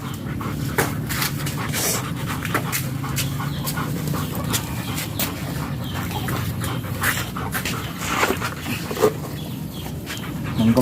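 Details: German Shepherd at a stud session in Nalsian, Manaoag, Pangasinan, breathing in steady, breathy panting against a constant low rumble, with scattered sharp clicks and knocks throughout.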